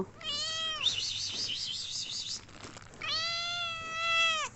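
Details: Pet cat meowing for attention; two drawn-out, slightly falling meows separated by a wavering, trilled call, with people talking and laughing nearby.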